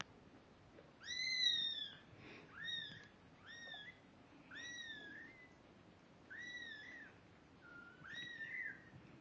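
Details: Two-week-old domestic kittens, eyes newly open and starting to walk, give a run of six high, arched mews, each about half a second long and rising then falling, spaced roughly a second apart, over a quiet indoor background.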